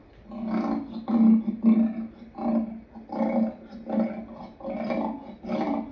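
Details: Lion giving a series of deep, rhythmic grunting roars, about nine short pulses over six seconds, each lasting under a second and separated by brief pauses, with no other clear sounds.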